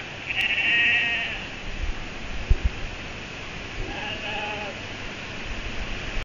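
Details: Ewes and lambs calling for each other at night on a farm after being separated; one loud quavering bleat at the start, then a softer, more distant bleat a few seconds later, with low thumps between.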